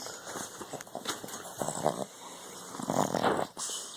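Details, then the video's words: A sleeping puppy snores indoors, giving soft, breathy, rasping bursts at uneven intervals, some short and others drawn out, with no other clear sounds. "Snoring puppy"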